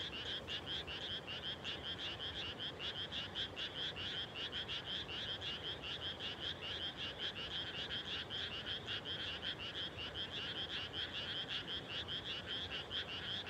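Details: Frog chorus in fields at dusk right after rice planting, 30 May 2021. Countless overlapping, trilling croaks pulse steadily throughout, forming an unbroken rhythmic wall of calls without gaps or other clear sounds.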